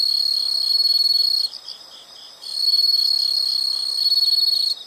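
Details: Insects heard in a nature recording: a loud, continuous high buzzing trill with a fine fast pulse, breaking off for about a second in the middle before resuming strongly.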